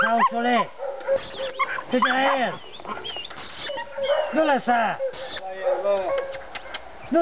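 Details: Seven-month-old dog challenging wild boar in a pen on 27 January 2011, with repeated arched, yelping barks in clusters and men's voices urging it forward throughout.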